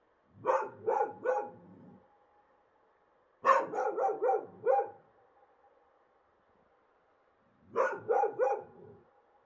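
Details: Wild dogs in Morocco bark on a bright moonlit night in quick bursts of three to five sharp, hoarse barks, regular vocal exchanges between them.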